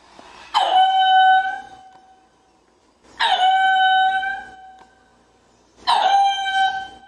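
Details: Ring-tailed lemur calling in three loud drawn-out tonal wails about every 2.6 seconds, each opening with a sharp onset and holding a steady pitch with rich harmonics, quiet between calls.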